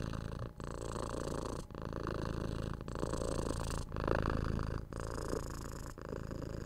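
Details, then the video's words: Relaxed house cat purring loudly near the microphone for soothing ASMR; thick low vibrating rumble with breath gaps roughly every second, intensity swelling slightly toward the middle, no talking or other sounds. "Cute Cat Purring"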